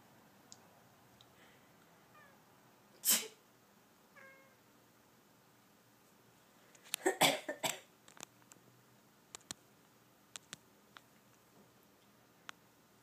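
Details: Cosmo, a pet cat disturbed while sleeping, answers loud human sneezes indoors with a short, rising chirped call between the bursts of sneezing and coughing.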